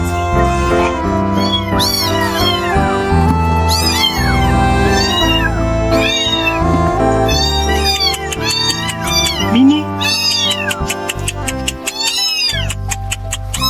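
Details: Newborn kittens abandoned in a dumpster meow nonstop, the thin high cries coming faster and more crowded toward the end, mixed with background music.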